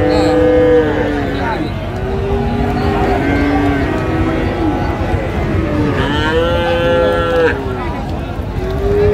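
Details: Cattle at Raniganj livestock market in Dinajpur, Bangladesh, on 1 December 2024, Friesian and crossbred bull calves on sale; several drawn-out harmonic moos, one rising and bright near six seconds, over crowd chatter, bargaining voices and vehicle rumble.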